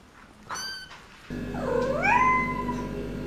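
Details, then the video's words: A short high kitten cry, then a longer meow that dips low and swoops upward before holding a steady tone, over a constant low hum. "Kittens meow"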